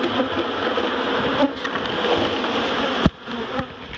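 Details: Colony of honeybees relocated from a barrel to a new hive at Miss Bee Haven, queen newly caught for safekeeping; continuous thick buzzing of a crowd of bees, broken by a sharp knock near the end.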